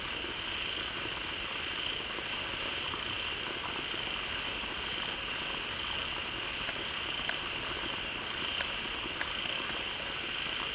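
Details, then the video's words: Frogs in a large group call loudly across a pond just filled by a newly flowing waterfall. A dense, even high buzz carries on steadily, with a few brief sharp clicks and a rushing, hissing backdrop. "เสียงฝูงกบร้องดีใจได้น้ำ Relaxing Sounds of Frogs"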